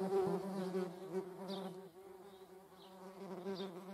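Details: Low, droning flight buzz of a median wasp, with honeybees also about; the hum holds steady, wavers slightly, and dips a little in loudness midway. A few faint higher chirps sound in the background.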